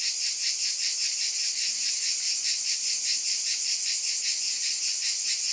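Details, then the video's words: Cicadas in a steady, high-pitched shimmering buzz that pulses a little more than twice per second, with no other sounds. "Scintillating Cicadas"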